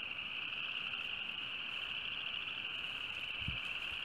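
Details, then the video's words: Frogs calling on a sunny March 2015 day just after winter ended: a dense, steady high trill chorus holds without pause throughout, with a faint low thump near the end. "frog voices"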